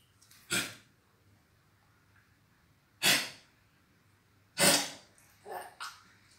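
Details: Dog making choking sounds attributed to a cold: sharp, explosive wheezing snorts at irregular intervals of about two to three seconds, followed by two smaller snuffling bursts, in a quiet indoor room.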